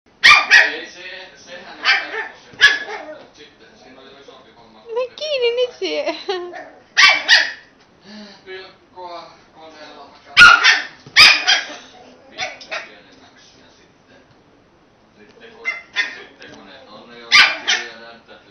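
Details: Young puppy Robinho playfully attacking a beer can gives sharp high yappy barks in irregular bursts, with growly whines between and a human voice briefly heard.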